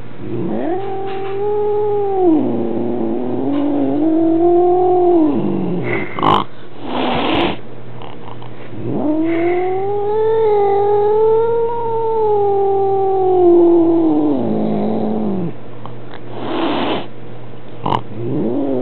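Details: A male Maine Coon cat gives long, drawn-out, wavering yowls, complaining about an unfamiliar kitten visiting his home.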